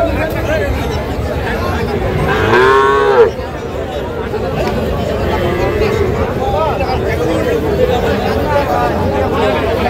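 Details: Local-breed dairy cows with calves at the Saturday Kaharol market in Dinajpur, 28 June 2025: a single loud, drawn-out moo about a second long, sliding upward at its close, over constant crowd chatter and haggling voices.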